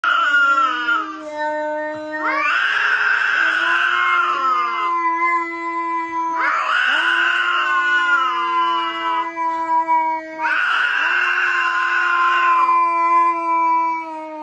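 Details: Cats clashing in a fight, giving fierce bellows: long, steady, drawn-out yowls broken by harsher, louder, strained wails that return about every four seconds, continuing without pause through the recording.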